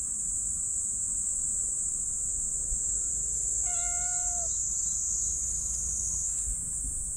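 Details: Black cat giving a single level meow, about a second long, in response to pats on its lower back, with constant high-pitched insect hum and faint outdoor background.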